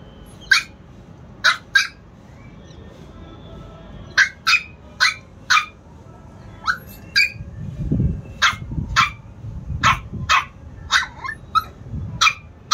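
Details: Chihuahua puppies in Lucknow: sharp, high yapping barks in irregular bursts, single and paired, about twenty over thirteen seconds, with low rumbling handling noise in the later half.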